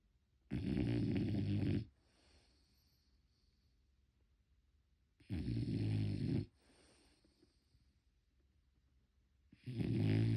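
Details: A French Bulldog asleep and snoring, unedited sound. Three harsh, droning snores, each over a second long, come roughly every four to five seconds, with soft wheezy exhales between them.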